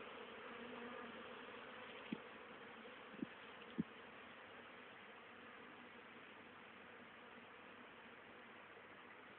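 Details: Honey bees on 10 October 2010, busy hauling pollen and nectar home for winter stores; a soft, constant hum, louder at the start, with three sharp clicks or knocks between two and four seconds.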